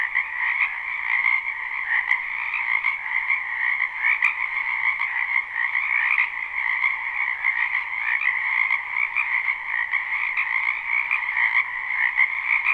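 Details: Live spring recording of many wetland frogs croaking at once: a continuous buzzing, trilling wall of sound in two pitch layers, with occasional sharp clicks around the start and middle.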